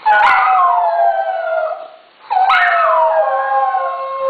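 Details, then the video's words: Dogs Kuki, alto, and Krim, soprano, howl together in a synchronized duet: two long howls, each opening high and sliding down into a sustained, slightly wavering tone, separated by a short dip at about two seconds. "Dog Duet"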